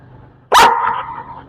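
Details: Rottweiler puppy barking on the speak command during obedience training; a single loud, sharp bark that trails off into a drawn-out whine-like tail lasting about a second, with a faint background hum.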